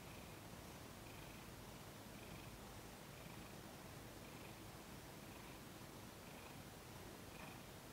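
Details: Low, even purring from Thomas, a house cat being massaged on December 6, 2021, pulsing gently with faint breath-timed swells about every second, in a quiet room.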